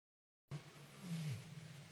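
A lion gives a deep, rumbling roar that slides downward in pitch.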